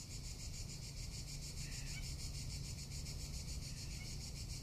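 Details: Cicadas calling in summer in Tuscany: a steady, dense shrill buzz, high and unbroken, pulsing rapidly throughout, over a low background rumble.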